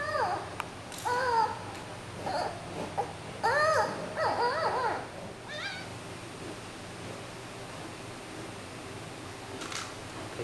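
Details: Fussy 39-day-old female giant panda cub Yuan Zai, weighing over 1700 g, crying as her mother Yuan Yuan tries to comfort her at a zoo; a burst of repeated, bent, harmonic squeals with brief pauses, then quieter room hum.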